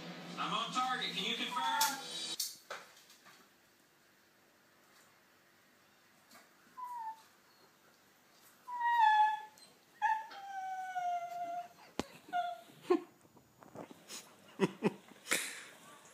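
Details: Dachshund crying and begging a Jack Russell to play, indoors. A short burst of human speech opens, then high, thin whines with stacked harmonics, several sliding downward, rise in a cluster midway before giving way to scattered knocks and clicks.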